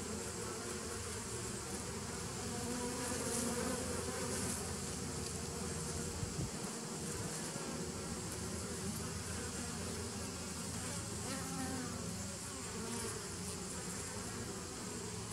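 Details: Crowded buzzing of bees, 27 September 2018: a thick continuous drone with rich low overtones, holding an even loudness for the whole stretch with slight swells.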